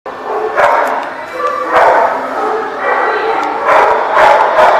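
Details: Dogs barking at a dog lot, recorded 25 May 2018; harsh, noisy barks come in bursts roughly every one to two seconds over a steady background din.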